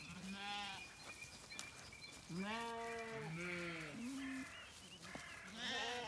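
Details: Morning on an Irish regenerative farm in County Kilkenny, where Zwartbles lambs call for their mothers; a string of wavering bleats of varying pitch, overlapping, with faint birdsong.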